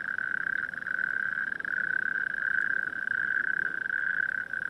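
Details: Natterjack toads calling in a night chorus in coastal dunes, town lights in the distance: a continuous dense rattling trill from many toads merging into one steady churring band, with echo around the dunes.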